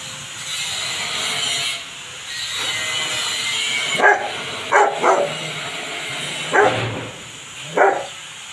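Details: Dog, a Rottweiler or Belgian Malinois, being bathed: a few short sharp barks and yelps at irregular spacing in the second half, partly masked by a steady hissing spray of water.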